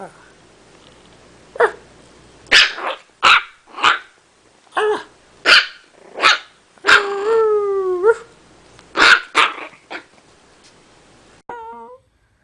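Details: Chiweenie puppy named Penny barking in a rapid series of about a dozen sharp, clipped barks, one stretched into a longer falling-then-rising yowl near the middle, ending in a short wavering whine.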